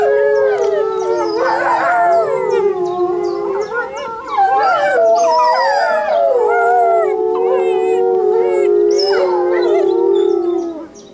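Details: Chorus of howls as Saarloos Wolfdog pup Linde, newly arrived and not yet used to her home, sings along with wolves on 16-06-2012; layered voices rise and dip in pitch, with higher yips breaking through over a held low tone.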